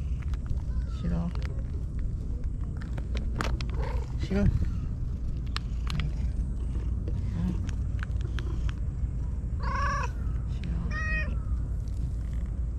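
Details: Stray white cat living alone among tetrapods in Japan, greeting a visitor warmly; two clear, arching meows near the end under a constant low rumble, with a woman softly calling the cat and coaxing it to come up.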